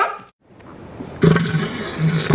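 An elephant seal gives a deep, guttural, throbbing roar lasting over a second, after a brief quiet start.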